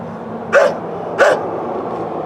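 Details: Two quick, gruff barks about two-thirds of a second apart come from a neighbour's old dog, followed by steady background noise. Captured with a Canon Vixia HF R800 camcorder.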